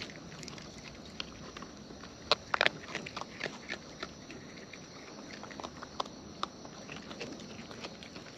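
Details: Raccoons in the wild eating up close, chewing audible as scattered crisp clicks and crunches, bunched more densely in the first few seconds, then spaced irregularly over a faint steady hiss.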